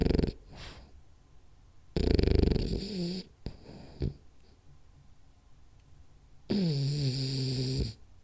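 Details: Snoring from Rolly the French Bulldog asleep, dreaming of chasing cats; two loud rasping snore bursts, the second ending in a wavering, whiny drawn-out tone, with short snorts and quiet breathing in between.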